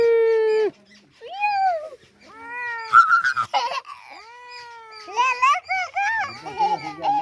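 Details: Stray kitten that wandered in and was cared for and given milk, giving a run of arched, rising-then-falling meows, the first long and level, later ones shorter and closer together, with voices and background music.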